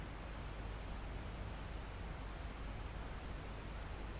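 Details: Crickets and insects almost at the top of a mountain forest, recorded live. A thin continuous high buzz carries two longer trilled bursts, each nearly a second. Soft wind rushing through trees and foliage fills the background.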